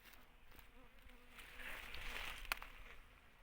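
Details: Ground bees at their nest of stacked, layered combs: a low, steady hum with faint tones, swelling into a broader hissing buzz midway before easing back, with one sharp click.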